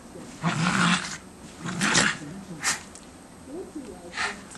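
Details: Two schipperkes romping in fresh snow in December 2008, giving four loud, rough, growling barks with wavering low tones. Bursts come roughly a second apart, with quieter breathy noise between them.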